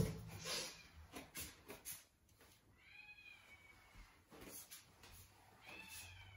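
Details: Norwegian Forest Cat eating her favorite breakfast alongside her daughter indoors; soft high meows with rising and falling tones around three seconds and again near the end, between quiet eating and rustling noises in a small room.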